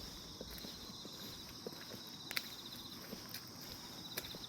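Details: Calm-morning chorus of grass insects: continuous shrill, pulsing trill layered at two high pitches, with occasional sharp clicks and low rustling taps underneath.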